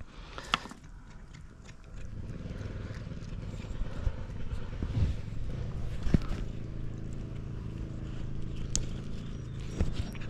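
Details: Mittens, a pet cat, purring like a motor while being given food; a low, steady rumble sets in after about two seconds and holds to the end, with a few faint clicks and handling noises.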